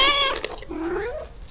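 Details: Rescue cat at a shelter during feeding time, one of a colony of more than thirty: a short bright harmonic meow, followed by a softer, lower drawn-out note that slides gently upward, in a small indoor space.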